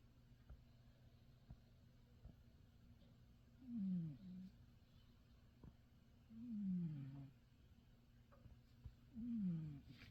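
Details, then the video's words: Domestic cat in deep sleep snoring in his favourite bed; three soft low gliding snores roughly every two and a half to three seconds, quiet indoor background. "snoring away in his favourite bed"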